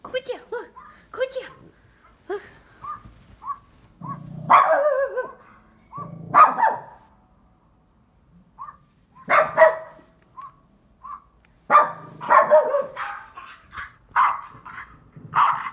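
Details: Barking pet dog responding to sound effects: repeated harsh barks in bursts over fifteen seconds, overlapping a person's speech and scattered short electronic tones.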